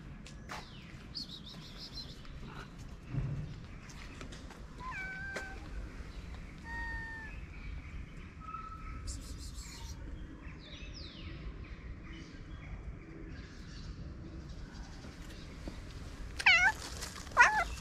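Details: Stray street cat in Morocco meowing as it comes up to a person; faint, scattered short meows over steady outdoor background noise, then two louder, clearer meows near the end.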